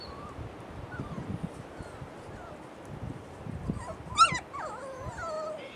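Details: Faint thin puppy whines drift over low rustling before a sudden loud yelp, followed by long descending whimpers that waver downward and trail off.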